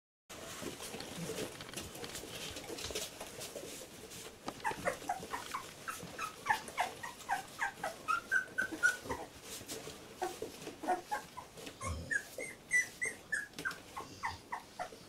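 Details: Labrador Retriever puppies, 14 days old, from litter J, indoors: a stretch of low shuffling, then rapid high squeaks and whines repeated several times a second, some short tonal whimpers near the end.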